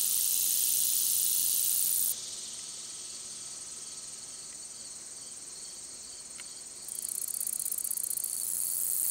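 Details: Long-spurred meadow katydid singing a high, steady buzzing drone that drops to a softer level for several seconds, then swells again with fine rapid ticking near the end.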